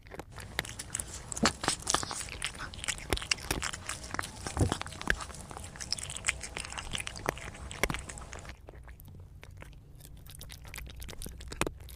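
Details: Crunchy chewing and biting noises fill the room, with no animal calls heard. Sharp clicks and soft scuffs continue throughout, and the sound thins out near the end.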